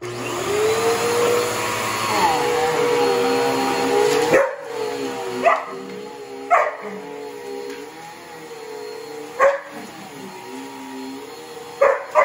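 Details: Border Collie barking at a noisy vacuum cleaner it hates; sharp single barks every two to three seconds cut through the steady loud whine and hum of the running vacuum, which dominates throughout.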